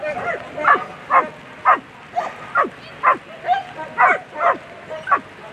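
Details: Agility German Shepherd Queen v Lesimo barking steadily at a world championship, A3 Sunday winning run: around ten clipped, downward-sliding barks, roughly two per second, over continuous arena background noise.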